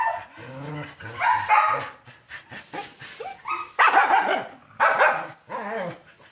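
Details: A Labrador Retriever's vocal bursts: a run of yelping, whiny barks with wavering pitch, coming in clusters separated by short pauses over several seconds.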